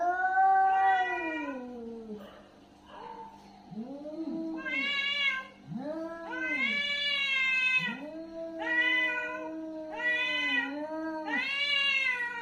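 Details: Angry cat during a fight giving a run of arching yowls, each rising and falling, becoming louder and more strained toward the end, short overlapping wails, faint hum behind.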